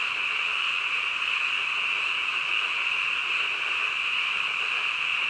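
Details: Frogs calling at midnight in a dense, unbroken chorus, a steady shimmering band of mid-high trilling with no gaps or pauses over the few seconds.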